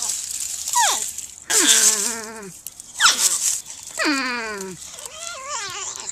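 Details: Porcupine giving drawn-out, whining cries that glide steeply downward, about five calls in six seconds, some long and wavering with rich overtones, over a hissy background.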